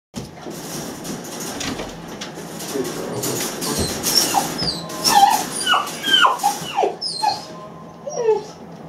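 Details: Riddle, an 8-week-old Great Dane puppy, lonely after one of his people leaves the room: a run of short, high, bending whimpers and yips, some sliding downward, growing more frequent in the second half over a low indoor hum.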